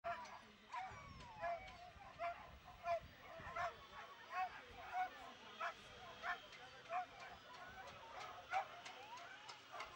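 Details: Lurchers at a race at Askern Stadium on Sunday 21 August 2022: a rapid run of sharp, excited yapping barks, roughly one every second, over background voices and crowd noise.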